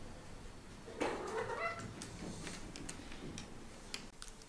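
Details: Heliana, a chatty house cat who always has something to say, lets out a clear rising meow lasting about a second indoors, followed by fainter chirpy trailing sounds and scattered clicks and taps.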